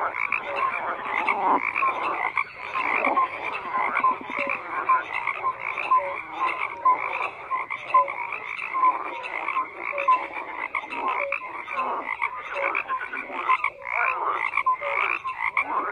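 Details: A chorus of many frogs croaking together without pause, rapid rasping pulses layered over short whistled notes repeating roughly once a second, forming a continuous throbbing wall of sound.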